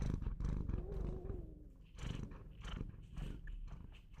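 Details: Pet Bengal cat giving a rich, low purr, its pulsing vibration broken into breath-length swells, with a short faint falling tonal sound near the start.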